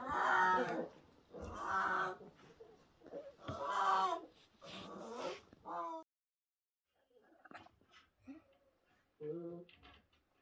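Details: Orphaned new-born brown bear cubs at the Orphan Bear Rescue Centre, rescued in 2023 after losing their mothers, give loud harmonic bawling cries in bursts of about a second, four in quick succession, then a pause and quieter, broken calls.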